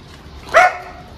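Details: A dog at a dog training school gives one short, sharp bark with a quick rise and fall. The bark is bright and harmonic, set against a quiet, steady background hum.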